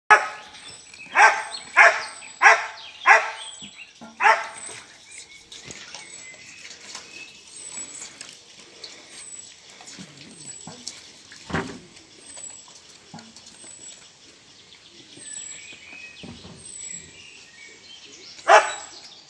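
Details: Schipperke puppy in a park, giving a quick run of five sharp barks within the first five seconds, then quieter scattered sounds with a thin high whine in the background, and one more loud bark near the end.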